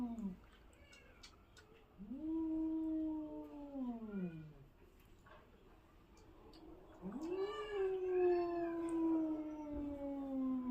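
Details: ['A domestic cat, frightened by another cat, makes unusual sounds: three long, harmonic, moaning yowls, each rising quickly then sliding slowly down. They come at intervals of a few seconds in a quiet indoor setting.']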